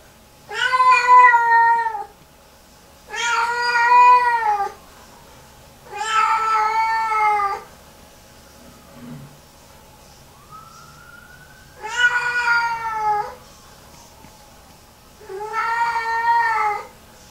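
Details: A female Lynx Point Siamese cat, hours after a bath, repeatedly walks into the bathroom and has a meltdown, giving long, drawn-out yowls of about two seconds each, repeated every few seconds.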